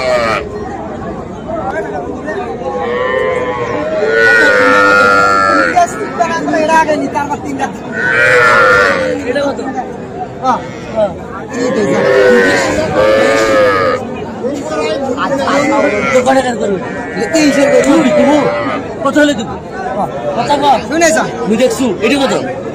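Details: A busy Comilla cattle market in Bangladesh on 13 September, with small Sahiwal bulls and heifer calves on sale: repeated moos from several animals, bursts every few seconds, blended with continuous talking and crowd noise.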